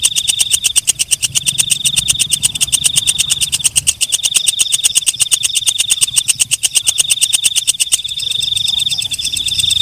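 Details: Night-calling walang kecek, a katydid: rapid, evenly spaced clicking pulses run on without pause above a continuous piercing high tone. Near the end the tone thins into a hazier buzz.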